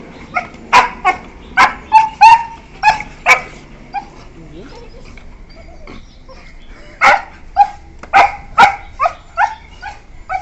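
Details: Beagles, about one year four months old, yelping while playing with each other; short sharp yelps come in quick bursts of several, a pause of about three seconds, then another run of rapid yelps.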